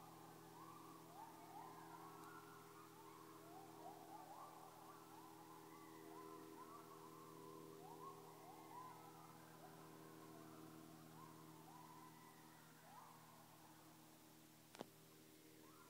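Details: Coyotes in Webster County, Georgia, with separate packs calling to each other: distant overlapping yips and wavering howls rising and falling throughout, over steady low hum and faint background noise, with one sharp click near the end.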